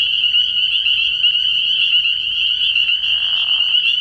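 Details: Spring peepers calling in a dense chorus at a frog pond at night early in the year; many high peeps merge into a steady shrill ringing, with a brief lower rough trill near the end.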